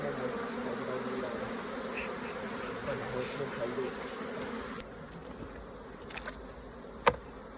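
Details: Honey bees humming at a hive while raw honeycomb is harvested; a thick, even drone for about five seconds, then quieter buzzing with a few scraping sounds and one loud click.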